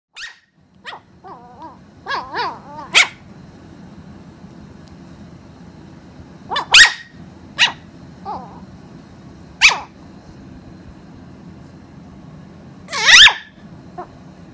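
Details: Toy Poodle puppy about three months old, born November 2014, romping playfully with other dogs indoors: scattered high-pitched yips and short sharp barks, some wavering, with several loud piercing barks spaced seconds apart over a low steady hum.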